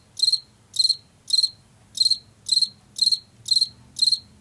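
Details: Field cricket from Washington, a species heard in late summer and fall in fields and forest edges, giving bright high-pitched chirps of three or four quick pulses, repeated about twice a second, over a faint low hum.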